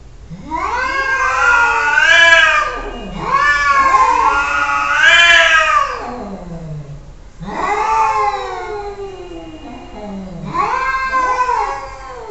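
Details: Cat caterwauling: four long, loud, wavering yowls, each rising and sliding down into a low groan, separated by short gaps.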